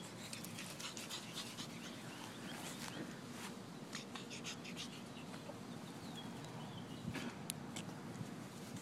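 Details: An 8-week-old pug puppy, female, wearing a bikini, panting in rapid soft breaths, with faint clicks and brief scratchy sounds over a steady low background hiss.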